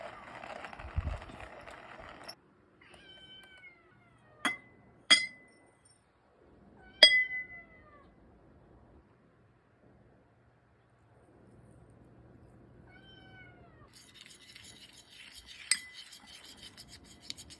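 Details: Kitten at weaning food, giving short, thin, falling mews spaced several seconds apart in a quiet room, with sharp clinks and a burst of rattling near the end.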